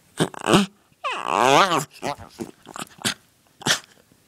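A dachshund snorts and sneezes, then gives a long wavering whine-like vocal noise and sharp huffs.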